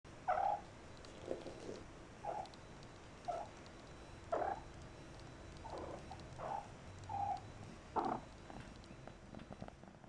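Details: Persian kittens at play in a kitten room with The Tribble supervising, Mae Mobley rolling on her back; short, high, tonal mews repeat about once a second, roughly eight in a row, over quiet indoor room noise.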